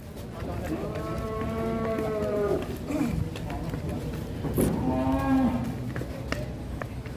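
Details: Aggressive female cow held by Indonesian cattle keepers, giving two harmonic moos: a long, drawn-out, slightly wavering one of about two seconds, then a shorter, steadier moo, with background rustle and occasional clatter.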